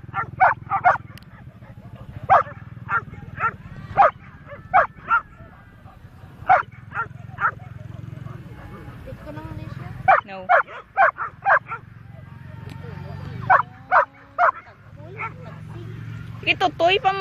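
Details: Walked Labrador golden retriever dogs, including an unleashed four-month-old pup, confronting a black goat; dense bursts of sharp, irregular barking, often in rapid runs, continue throughout with a low rumbling background and brief quieter gaps, captured on a phone.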